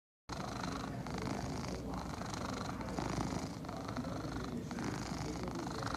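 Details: Egyptian Mau cat purring steadily, a low continuous rumbling throb with soft pulsing breaths throughout, no other clear sounds.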